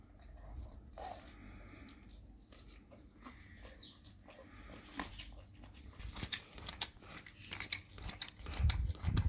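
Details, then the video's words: A dog eating raw cow tongue, giving irregular wet crunching and biting sounds that grow louder and more frequent toward the end, with low background rumble. "dog eat raw Cow tongue"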